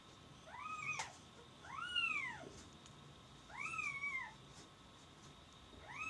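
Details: Several high-pitched kitten meows, each a bright rising-and-falling arch under a second long, with a sharp click near the start and a thin constant hum behind.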